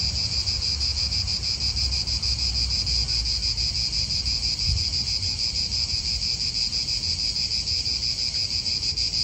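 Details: Continuous cicada buzzing fills an Italian park with a bright, sizzling, evenly sustained drone, with soft wind and faint vehicle rumble far below.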